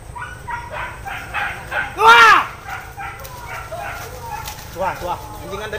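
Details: Hunting dogs chasing wild boar in the bushes: one loud, ringing arched bark stands out among fainter, scattered yelps from other dogs, with a man's voice briefly heard.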